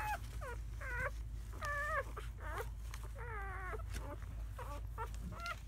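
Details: Newborn German Shepherd puppies from a litter of seven, four boys and three girls, born May 7–8, 2017: short whining cries that bend up and down, several overlapping in quick succession over a low background hum.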